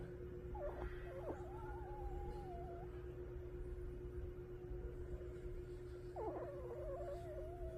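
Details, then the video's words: Sleeping dog named Jjangi snoring indoors: two wavering whistled nasal tones, each lasting about two seconds and spaced several seconds apart with the breathing, over a steady low electrical hum. "강아지 코골이"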